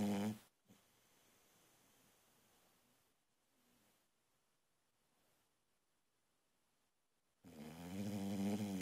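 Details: ['Female boxer puppy asleep and snoring loudly: a brief harmonic snore at the start, a long quiet stretch of soft breathing, then a loud buzzy, rattling snore that builds from about seven and a half seconds to the end.']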